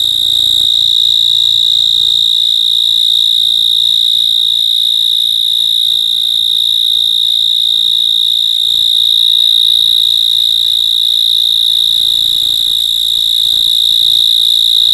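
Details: At night an insect gives a steady, high, ringing trill that holds one pitch without pause.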